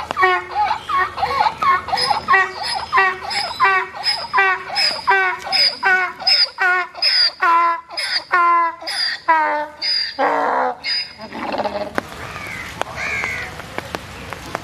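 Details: White donkey at Dhaka Zoo, Bangladesh, getting drenched in the rain; a long run of harsh, harmonic bray pulses repeats roughly every second for about eleven seconds, then ends in a lower drawn-out groan.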